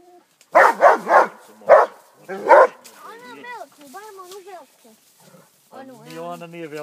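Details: Rhodesian Ridgeback named Armani, 15 months old, with a wild boar: four loud, sharp barks in quick succession, followed by softer, harmonic vocal sounds and people talking.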